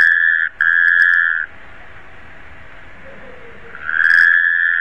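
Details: Taipei tree frog: an unwavering, constant-pitch trill of about a second, interrupted once by a short break, with a faint lower sound in the pause before the next call begins.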